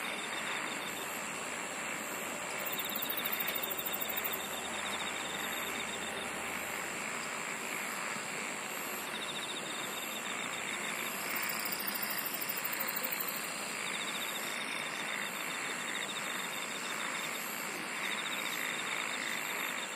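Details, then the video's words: A nighttime-style insect chorus outdoors: continuous high, ringing trills, with louder pulsed buzzing bursts around three and twelve seconds over a steady, hissing wall of sound and faint low rumble early on. "SINGING OF INSECTS"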